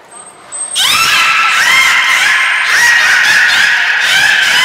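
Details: Nana, a captive beluga in training at Port of Nagoya Public Aquarium on 13 April 2019, gives a loud, continuous buzzy harmonic call with a rising start and rapid pulsing throughout, after a short thin high whistle tone.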